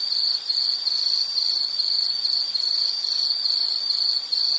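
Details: Insect sound for relaxation and sleep: a continuous high-pitched chirring that beats in even bursts roughly twice each second, bright and thin, with nothing else audible behind it.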